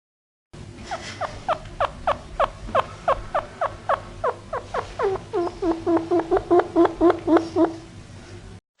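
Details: Chinchilla from Argentina: a rapid series of short, downward-sweeping squeaks, about four per second, running for some seven seconds and crowding closer together near the end, over a low steady hum.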